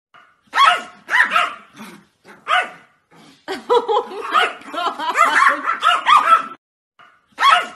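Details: Yorkshire Terrier, small pet dog, yapping in quick bursts: a few separate barks, then a dense run of overlapping rising-and-falling yips, then a final bark after a brief silence.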